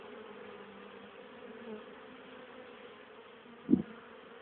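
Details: Honey bees, still active in October, carrying pollen and nectar home for winter; softer, steady hum of flying bees with a single close loud buzz sweeping past near the end.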